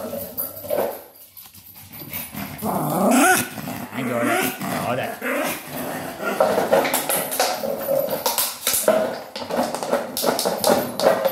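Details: A Maltese named Sora plays with a plastic bottle to blow off stress, giving low, rough growling with wavering harmonic tones amid loud crinkling and scraping of plastic, with a person talking at times.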